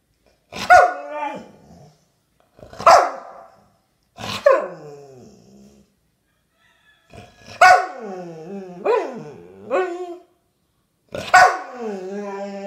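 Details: A Rottweiler gives drawn-out, talking-like groans and whines, each bending down in pitch, while getting a toy.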